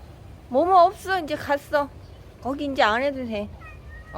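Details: Momo, a yard cat in Laos, fighting to defend territory at the start of the rainy season: two bursts of wavering, rising-and-falling yowls, the second longer and more strained, over a low background hum.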